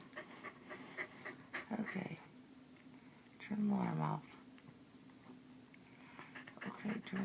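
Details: Keeshond waking its owner each morning like an alarm clock, indoors; a loud, drawn-out tonal whine with stacked harmonics that bends downward near the middle, surrounded by a person's talking and soft shuffling.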